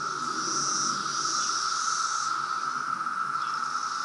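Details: Periodical cicadas from the loud 2017 brood emergence in Reston, Virginia, massing in a steady, unbroken droning whine held at one pitch throughout, with a faint high whistle above it.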